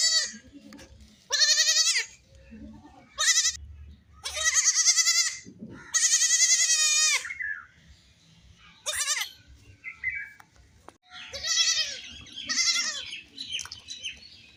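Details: Playful baby goats bleat repeatedly: a run of shaky, nasal cries of varying length, some long and trembling, others short, with quieter bleats and scuffling noises between them.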